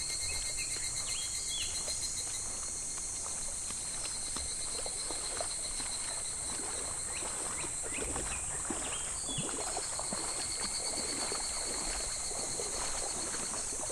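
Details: In July, cicadas drone beside a shallow, slow clear stream in midsummer; the steady high shrill buzz persists while rippling, splashing water and short chirping notes flicker throughout.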